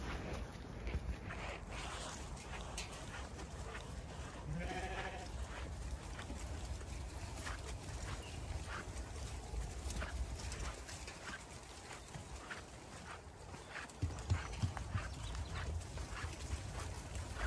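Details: Ewes stampeding along an orchard laneway toward their meal on a regenerative farm in County Kilkenny, Ireland, during the winter routine; a single wavering bleat rises midway over steady wind rumble and the patter of many hooves.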